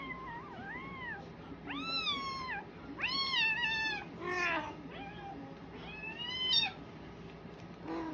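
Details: Cat and kitten indoors in Japan, the cat pinning the kitten down: a run of about eight clear arched meows, some high and strained, following one another closely over several seconds.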